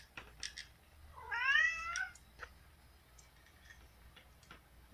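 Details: Pet cat begging at night to be let outside onto the deck: a single short, rising-then-falling plaintive meow amid quiet room sounds, with a woman murmuring affectionately before and after.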